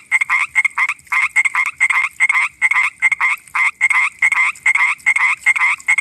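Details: A common tree frog at night gives quick bursts of rattling, clicky croaks, repeated in short irregular groups.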